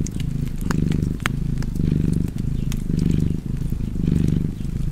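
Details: Cat purring steadily by a fireplace, a deep rumbling purr that swells and fades in cycles roughly once a second, with sharp wood crackles popping through.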